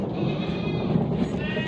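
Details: Amritsari Beetal goat, a female kept on a goat farm in Pakistan and offered for sale, gives a short, harmonic, nasal bleat over a steady murmur and low rumble.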